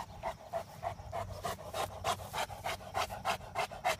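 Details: Mastiff named Mace panting while playing with a trap: quick, breathy, evenly spaced pulses, roughly three per second, steady throughout with a soft low rumble underneath.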